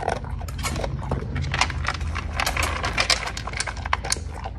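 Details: Dog food being crunched by a Cocker Spaniel: a steady stream of sharp, closely spaced chewing clicks and crackles over a low hum.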